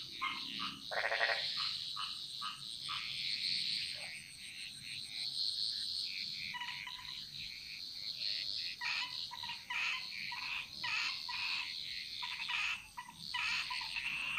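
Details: A dense frog chorus in Bali's jungle: many quick, clicky croaks and chirps overlap in an uneven, crowded stream, with no single caller standing out, over a constant high hiss.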